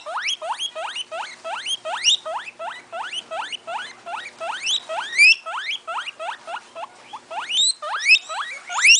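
A guinea pig gives rapid, shrill rising whistles, several each second, in a steady squealing run.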